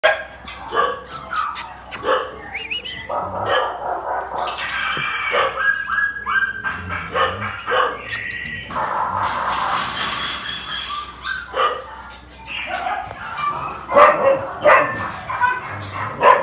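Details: Phu Quoc Ridgeback dogs of various ages giving a busy mix of sharp barks and high yips, overlapping and irregular, with some background noise throughout.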